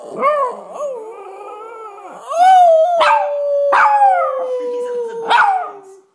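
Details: A Chihuahua mix howls along with its owner, giving long, wavering howls that slowly slide downward, broken by sharp yelping bursts.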